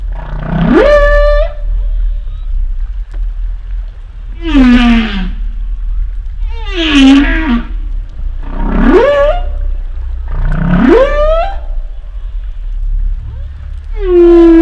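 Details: Humpback whale calls in a repeating sequence, alternating rising upsweeps that climb into high held tones with lower descending moans, one unit roughly every two to three seconds, each rich in overtones over a constant low-frequency background hum.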